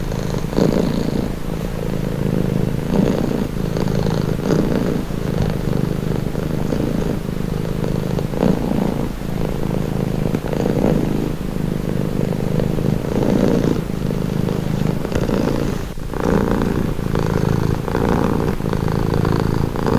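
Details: Steady close-up cat purr, deep and buzzy, its loudness rising and dipping with breathing cycles, with a brief faint rustle near the end; framed as a relaxing, calming sound.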